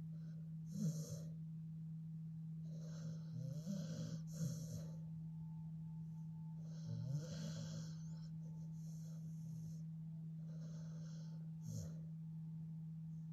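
A Staffordshire Bull Terrier snores in rough, rattling breaths every few seconds over a steady low hum.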